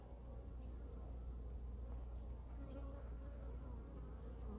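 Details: Honey bees in a winter hive, hive number two, during a weekly inspection checking food reserves and feeding; steady low droning hum fills the recording, with faint brief rustles and a man's voice nearby.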